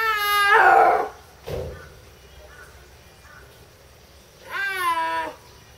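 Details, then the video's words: A snow leopard at Tama Zoo in October 2012 gives two loud, drawn-out yowling calls separated by a few seconds of quiet; the owner wonders if mating season has arrived. "鳴くユキヒョウ ミルチャSnow leopard Cry"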